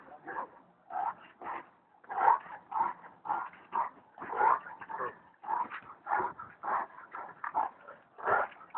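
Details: Bully Kutta dog giving a steady run of short, mid-pitched barks with a whining edge, about fifteen in nine seconds, spaced unevenly with brief pauses between bursts; no other clear sounds.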